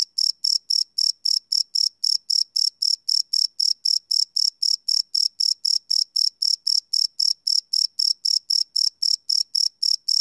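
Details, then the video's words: Night chorus of crickets captured live with a field recorder, sounding as evenly spaced shrill chirps at roughly four per second, unbroken and regular throughout, on a quiet background. "Cricket Chirp Sound - Cricket Sounds at Night"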